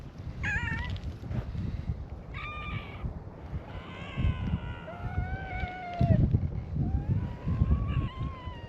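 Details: A gathering of stray cats on a cat island welcomes a visitor with a chorus of meows; short bright calls, then longer wavering and falling meows from several cats overlap, above constant low-pitched outdoor rumble.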